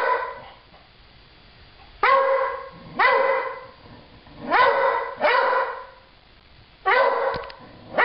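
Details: Pet dog barking at nothing: six loud, harmonic barks in irregular bursts, some doubled in quick succession, separated by quiet pauses of one to two seconds.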